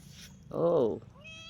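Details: A newly arrived guest cat lets out a single loud, drawn-out meow lasting about half a second, rising then falling in pitch. A faint human voice starts just after it.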